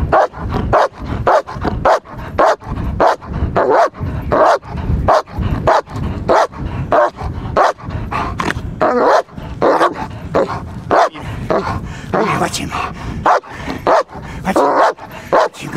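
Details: Trained German Shepherd protection dog in guarding work, delivering a long unbroken string of loud, rough barks at a steady fast pace, some strained and higher, while a handler urges it on before and praises it after.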